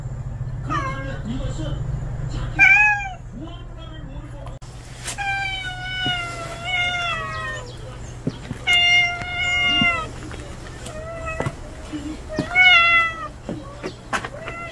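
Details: Unfamiliar male stray cat that has just appeared, giving a string of loud, drawn-out meows. Some rise then fall, others hold long and waver, with short gaps between them. A low hum sounds in the first seconds.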